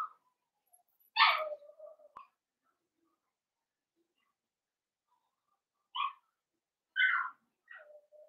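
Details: Blenheim Cavalier King Charles Spaniel puppies, five littermates born at New Year to Paris and Spike, in an indoor puppy pen; sharp high yips separated by long silences, with a soft whine trailing after the first.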